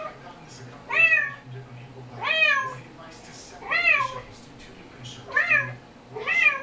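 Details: Kitten meows from a recording played back indoors to the household cats: five clear, rising-then-falling mews spaced about every one and a half seconds, with a low steady hum underneath.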